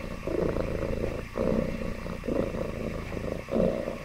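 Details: Happy domestic cat giving a deep, vibrating purr, swelling and dipping with each breath, with brief gaps about once per second.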